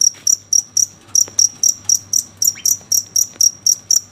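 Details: Shrill night-time cricket chirps, clean and evenly spaced at about four per second, with very little else audible.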